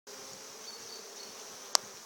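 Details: Honey bees on their first spring flight, a steady high buzzing hum of many wings with a faint low drone beneath and one sharp click near the end.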